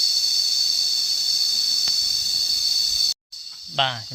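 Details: Shrill, steady insect buzzing from cicadas holds for about three seconds, cuts out briefly, then returns under a rising spoken voice at the end.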